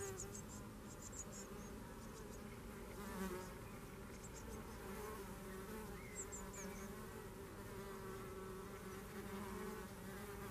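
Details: Continuous low, even buzzing of red mason bees at a Garboldisham home in South Norfolk, with brief thin high-pitched bird twitters scattered over the drone.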